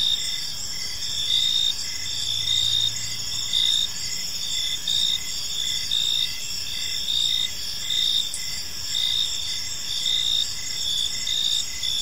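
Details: Crickets in a park at dusk keep up a high, ringing trill with regular short chirps near once a second; a brief low hum passes early on.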